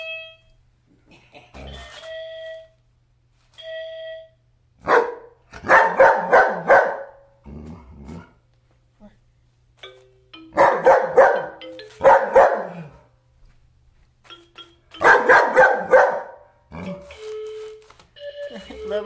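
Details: German Shepherd dog indoors with a piano mat, reacting to it: short piano notes ring out, then three clusters of rapid, rough barks, with a man speaking quietly in between.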